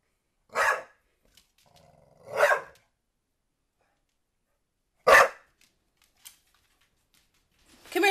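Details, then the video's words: NuNu the dog, chasing and barking at a soccer ball, gives three clipped barks at irregular gaps, a soft growl rumbling before the second, then a final bark at the very end. "NuNu Chasing Soccer Ball and barking"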